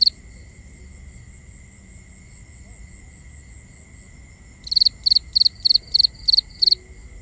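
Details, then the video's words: Nighttime crickets in binaural sound: after four seconds of steady high trilling from distant callers, a close cricket breaks in with a run of about eight sharp, evenly spaced high chirps. "Cricket Conversations | Binaural Nighttime Ambience"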